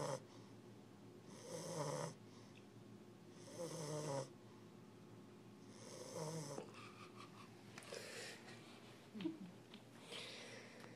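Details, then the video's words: Sleeping on the cool floor, English bulldog puppy Wingo gives rhythmic wheezy snores, one every two seconds or so, each a rough drawn-out rumble. Near the end come a few softer snuffles and small clicks. "Wingo the Puppy Snoring"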